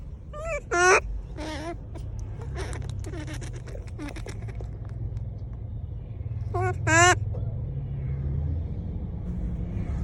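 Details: Monkey calling out to people: two loud, harmonic, rising wail-like calls near the start and one more after six seconds, over steady low rumble and faint clicks.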